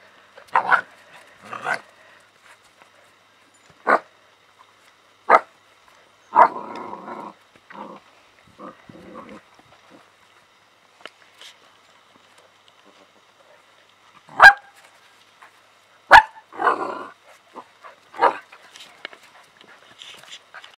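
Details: Playing with a cat, Alaskan Malamute puppies of kennel ZHOWERLI, Ireland (litter H, Aragorn and Shadow): brief sharp yips and small barks mixed with rough growly bursts, irregular, plus a couple of sharp clicks.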